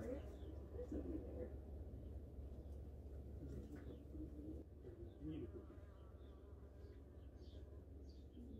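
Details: Wasps inside a nest being sprayed with insecticide make a low, steady, muffled drone, the sound of angry wasps whose noise level is dropping as they die.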